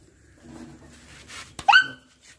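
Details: Milk-white Chippiparai puppy, one of a pair: after soft rustling, a single short, high yelp-like whimper that sweeps up and then drops away.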